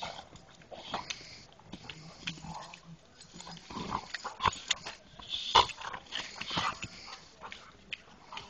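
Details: Irregular grunting and snuffling from a dog, harsh noisy bursts roughly once a second that swell to a loud peak midway, mixed with raspy breathing.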